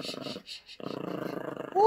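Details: Yorkshire Terrier puppy growling while playing tug-of-war over a squeaky toy: a rattling, pulsed low growl in two bursts, ending with a sharp rising squeak from the toy.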